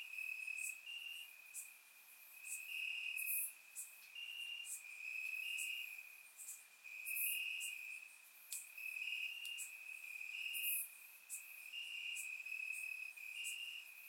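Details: Crickets chirping in grass on a warm summer night in Bulgaria, captured with a surround microphone; a steady high trill with pulsed bursts, several insects overlapping, and faint higher ticking notes above.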